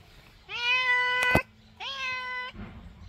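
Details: Chatty indoor cat giving two drawn-out, level meows before yoga class, with a sharp click midway through the first and a soft rustle at the end; a person calls to it just before.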